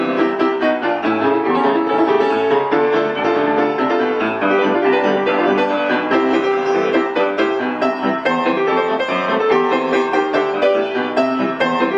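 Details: Continuous piano music with sustained string-like tones fills the whole stretch; no animal voice is heard.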